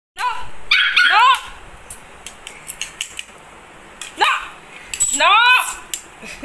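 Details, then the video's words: Angry puppy barking while fighting: high, sharp yelping barks that sweep upward in pitch, in bursts near the start and again later, with a person repeatedly saying no and some laughter. "Angry Dog Barking"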